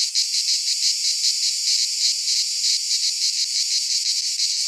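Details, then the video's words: Cicadas singing in midsummer in a Greek pine forest: a dense, unbroken high buzzing chorus that pulses in quick rhythmic waves, about three throbs per second, with no other sounds. "Cicadas singing in midsummer - Nature sounds from the Greek fauna - Sounds of cicadas"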